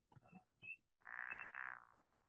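A pickerel frog gives a low, rasping snore that rolls on for about a second, like a soft meow.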